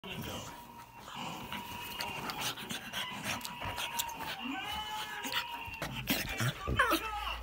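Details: A pug play fighting with a boxer dog makes a drawn-out, whining drone broken by snorts and grunts.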